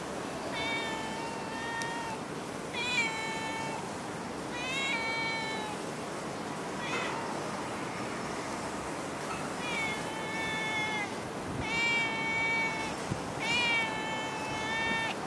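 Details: Stray cat in Singapore meowing repeatedly, a string of drawn-out harmonic meows roughly every two seconds with short pauses, over a steady background hiss.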